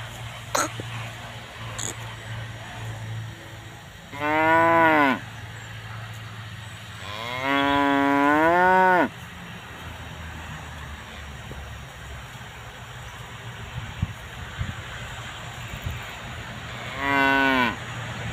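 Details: Moos from tame cows grazing with their calves: one short call, then a longer wavering bellow about two seconds long, and after a quiet gap a final brief moo, with a faint low hum underneath.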